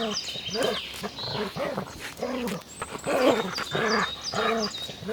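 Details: Playful puppies on a green grassy meadow bark in quick arched yelps, about two each second, in an uneven steady stream, while small birds chirp thinly in the background.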